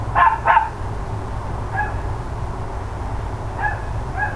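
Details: On 13 October 2012, shortly before ten in the morning, the neighbours' dogs bark: two strong barks in quick succession, then several faint, distant yips over steady low background noise.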